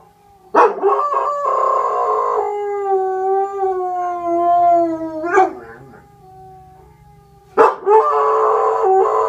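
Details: A dog howls in long steady tonal notes, with a wavering drawn-out howl, sharp barks breaking in at about half a second and again near seven and a half seconds.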